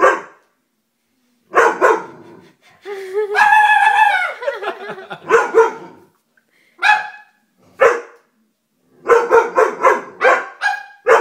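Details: Dobermann barking in short, sharp bursts spaced irregularly, with a drawn-out harmonic whine in the middle, then a quick cluster of barks near the end; brief gaps of silence between outbursts.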